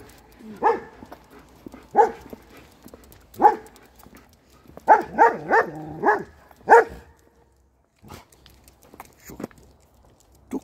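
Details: A Swiss Shepherd barks at an Alaskan Malamute: single loud barks, then a rapid burst of several, and a few fainter ones.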